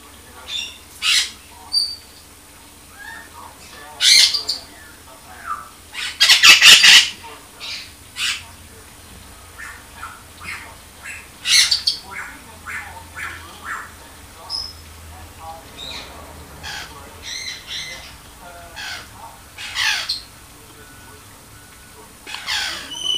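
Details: Eight-week-old baby squirrel giving short, high, sharp squeaks and chirps in scattered irregular bursts, with a few louder broadband bursts in between and a faint steady hum beneath.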